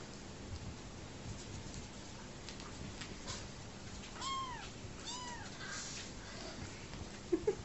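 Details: Saved homeless kitten, motherless since just after birth and now part of a family, drinking from a bottle; two thin arched mews about a second apart over constant hiss, then a faint squeak at the end.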